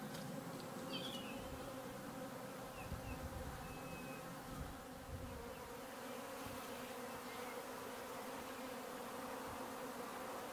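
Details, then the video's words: A swarm of minimum-intervention honey bees leaving a garden hive in May fills the air with a continuous, deep, layered hum that barely wavers, while a few distant bird notes sound faintly early on. "Honey bee swarm"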